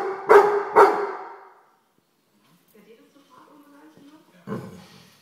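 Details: An excited Weimaraner gives two sharp, deep barks in quick succession, then another after a pause, scolding a common housefly.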